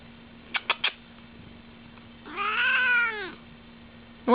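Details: Female house cat voicing strange sounds as she licks her foot, indoors: three quick clicking chirps, then a single arched, nasal meow lasting about a second, over a faint constant hum.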